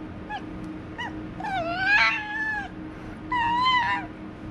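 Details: A pet white fox playfully attacks and nibbles its owner's hand and feet indoors, giving short high whimpers and then longer wavering, harmonic whining screams, a steady low hum underneath.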